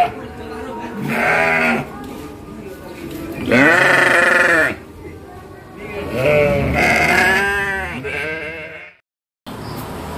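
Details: Crossbred sheep in a farm pen at Bangorejo, Banyuwangi, Indonesia, where goats are also raised; several loud, tremulous bleats overlap in the first eight seconds, one long and wavering, with men's voices beneath and a brief silent gap near the end.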